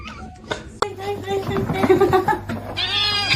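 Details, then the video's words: Domestic cat indoors, apparently trying to scare its owner, giving a long drawn-out yowling meow with wavering, rich harmonics that rises to a higher, thinner wail at the end, over a steady low hum and faint background voices. "funny cats talking"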